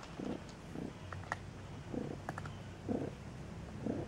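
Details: Newborn Maine Coon kittens at a cattery in Saint Petersburg, Russia: soft, low, breathy pulses repeated roughly once a second, with faint clicks and light rustling in the room.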